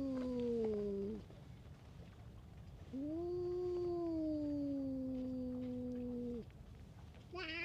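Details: Long, low moaning yowls from a stray cat picking fights with other cats: a falling call, then a sustained droning wail that slowly drops in pitch, ending with a sharper cry at the close.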